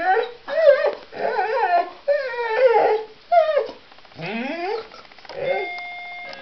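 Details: Singing dog Honey gives a run of varied, quavering whines and yelping howls, some sliding upward, with pauses between, and a faint held keyboard tone at the end.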